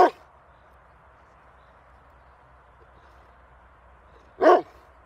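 A dog gives two sharp, loud barks, one at the start and another about four seconds later.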